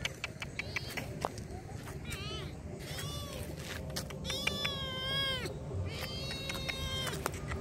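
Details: Hungry stray kittens in a wide car park in Indonesia, being fed, give many high, arched, wavering meows, overlapping and repeated, some rising then falling, over steady low traffic-like rumble.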